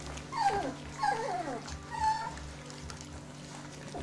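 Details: Dobermann puppies of a litter at 25 days old: three thin, high whines, each sliding downward, spaced about a second apart in the first half, then quieter, over a steady low electrical hum.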